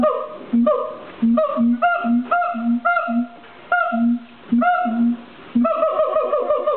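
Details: A siamang at the LA Zoo calls with deep, resonant booms alternating with louder, higher barking whoops.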